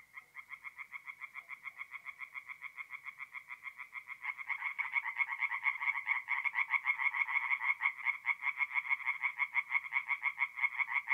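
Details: Tree frogs singing at night at a forest pond in mid-April in north-east Italy: rapid, pulsed croaking trains, roughly three per second. The calls grow louder and denser after four seconds as more callers join.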